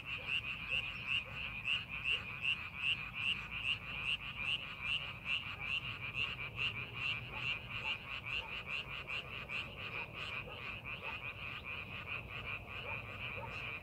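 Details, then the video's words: Frogs calling in a rice paddy being prepared for farming, a dense chorus of short croaks repeating rapidly, about two or three per second, with a steady band of overlapping callers underneath and low rumbling background noise. "농사준비하는 논에서 개구리 울음소리"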